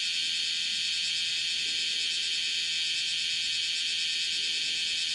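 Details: A bear cicada (Cryptotympana facialis) walking on a window screen gives a loud, unbroken metallic shrill with a fast, throbbing pulse; it called five times, filmed 31 July 2018 at 10:03.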